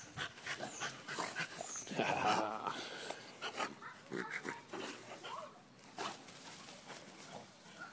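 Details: Two English Bulldogs playing in a yard with children give rough, snuffling grunts in quick, uneven bursts, some deeper and more throaty, while a man talks over parts of it and faint high chirps sound in the background.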